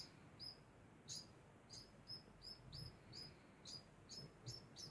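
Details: A degu giving its constant call: about ten sharp, high chirps in five seconds, spaced unevenly, over a quiet low rumble.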